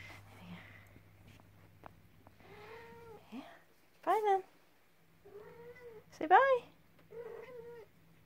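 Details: Devon Rex kittens playing gently indoors at the start of a Monday, with two loud rising-falling meows and softer mewing amid a person talking to them.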